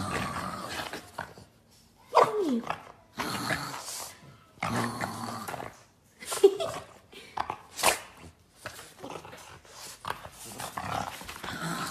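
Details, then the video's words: Boston Terrier fighting with a shoe, giving bursts of growling and short barks in irregular clusters across twelve seconds, with quiet gaps between the louder outbursts. "Boston Terrier Fight With A Shoe"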